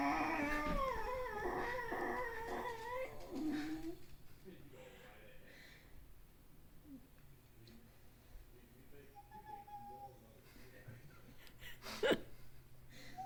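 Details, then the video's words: Puppy indoors giving a quick run of high, wavering whines and yelps in the first few seconds, then quieter, with faint scattered squeaks and one sharp knock near the end. "Funny Puppy Sounds"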